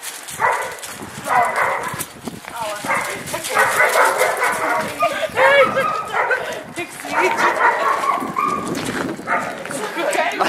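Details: Irish Wolfhound puppies about 16 weeks old, a female visiting her sister and brothers after seven weeks living in a new home; repeated whiny, yelping vocal bursts in short runs, with women talking and laughing throughout.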